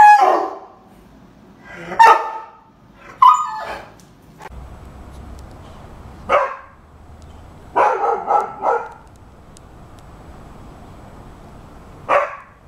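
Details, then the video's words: Rhodesian Ridgeback, a heavy-barking breed, barking when told to bark: deep single woofs and short double barks spaced by pauses of a second or more, with a quiet room hum between them. "Rhodesian Ridgeback Barking. How To Make Your Dog Bark"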